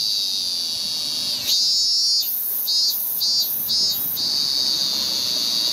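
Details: Male ming-ming cicada calling loudly from a cherry tree trunk in early August 2018, Japan, to attract a female. A shrill continuous tone lifts and breaks into four rapid throbbing pulses, then returns to an even high-pitched drone.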